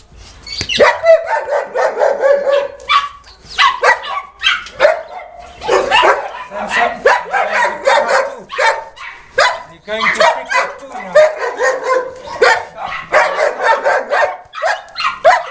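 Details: Boerboels barking at Delatro Boerboels during a visit on 30 October 2013: a long, busy stretch of repeated harsh barks from several dogs, with human speech mixed in.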